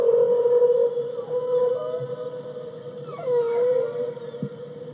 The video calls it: whale sounds 2